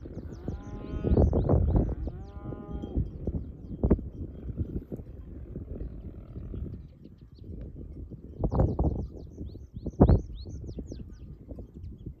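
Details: Large herd of mountain cows heading to the stable through a forest; deep, drawn-out moos with stacked harmonics in the first three seconds, then shorter lowing over rumbling hooves and movement, with faint high chirps above.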